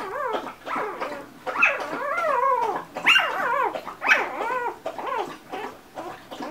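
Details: Two-day-old Golden Retriever puppies whimpering; repeated high, wavering squeaky cries with arching harmonic contours, several overlapping, roughly one every second.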